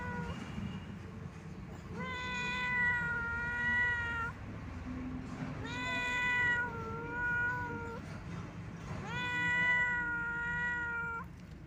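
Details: Sad, wandering old domestic cat calling in long mournful meows, three drawn-out cries each about two seconds long and spaced roughly three to four seconds apart, steady in pitch, over a low background hum.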